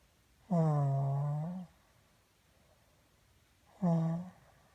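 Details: Indoors, Pat the pet dog answers questions about a sore throat with two sustained, hoarse, humming whines, the first over a second long and the second shorter, separated by quiet.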